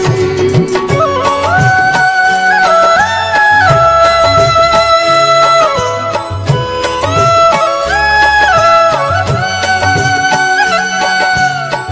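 Lively Indian-style film music with a sustained melody over steady percussion, and no animal calls.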